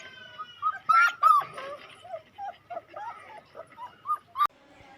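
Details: Puppies offered for sale in India whimper in a run of short, tonal, bent whines near one pitch, about three a second, some louder and rising-falling, with faint background voices and a sharp click near the end.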